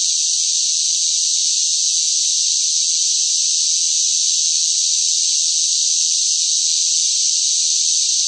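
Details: Loud cicada song during scorching summer heat: an uninterrupted, high, rasping buzz that stays constant in pitch and volume across the whole stretch, alone without other noises.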